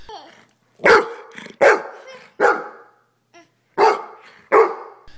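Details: A Golden Retriever gives a run of deep, harsh, forceful barks, each one sharp and then fading.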